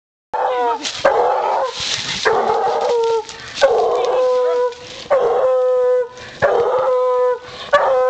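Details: Female coonhound treeing a big raccoon during a coon hunt: loud, drawn-out baying howls with rich ringing overtones, about six long bays separated by short gaps, each sliding down at its end.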